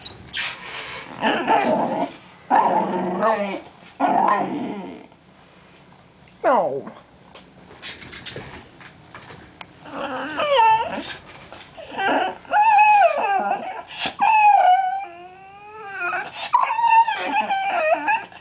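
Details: Male Bull Terrier puppy, 20 weeks old, whining while not getting his way: growly, rumbling whimpers early on, then high, wavering, sliding whines in repeated bursts, some rising and falling, with quieter pauses between.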